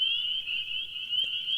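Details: A full chorus of spring peepers in evening wetlands around a pond in the northeastern US: high piping peeps overlap into one continuous shrill ring, loud enough to be rated a 3, a full chorus, in frog-monitoring counts.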